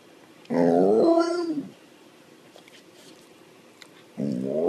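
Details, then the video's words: Snow dog 'talking' with two short, moaning, word-like utterances that rise and bend in pitch, separated by a quiet gap with faint room noise. "The best talking dogs compilation / snow dogs"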